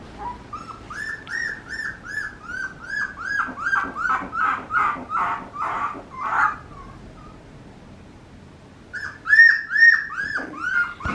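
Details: Papillon puppy named Lucky giving a run of high, thin whimpers: short arched squeals repeated about twice a second, growing louder and harsher in the middle, then a quiet gap before a final burst of whines.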